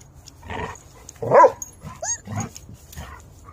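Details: Three dogs, a German Shepherd Husky mix, a Wolamute and a Great Pyrenees mix, playing hard together; short throaty growls and a sharp bark-like yelp around the middle, with a brief high squeak.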